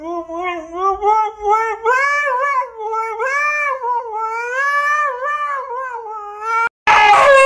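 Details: Siberian Husky screaming because it cannot go out: one long sustained, strongly harmonic wail that wavers and rises in pitch for about six seconds, ending in an abrupt harsh burst.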